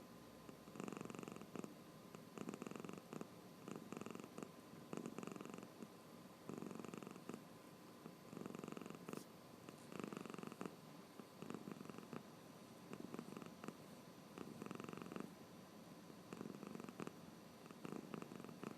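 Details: Drowsy cat snoring while its eyes stay open, a steady series of hoarse, low purring breaths about every one and a half seconds, quiet and regular throughout.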